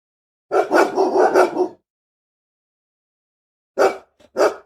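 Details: Angry large dog barking, also described as crying and growling: a rapid burst of about five harsh barks in just over a second, then silence, then two more separate barks near the end.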